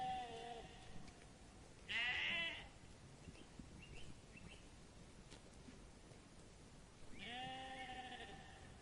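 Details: Sheep giving two strong, quavering bleats, a short loud one early and a longer wavering one near the end, with a fainter bleat fading at the start and soft high chirps between.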